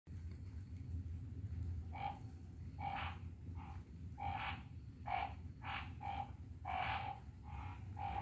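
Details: Phyllomedusa burmeisteri calling: short, harsh, croaking bursts with a strong low-middle tone, repeated irregularly about once or twice a second, over a steady low rumble.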